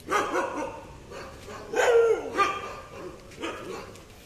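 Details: German Shepherd dog showing aggression, giving several short harsh barks with pauses between them, a louder pair near the middle, quiet room sound behind.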